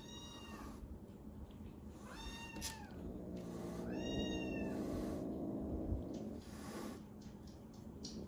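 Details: Rescued kittens at a cat cafe and shelter, once known for threatening hisses, now mewing: several bright, drawn-out meows in bursts, some rising then falling, over a constant low hum and background noise.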